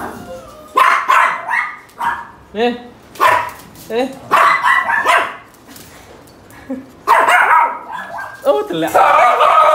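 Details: A pug having its ear cleaned gives short, harmonic whines and yelps in irregular bursts, with people talking nearby.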